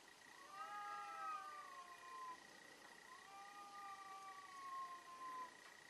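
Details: Two long, drawn-out yowls from fighting cats, each gliding up then slowly sinking in pitch over about two seconds, with a steady faint high tone in the background.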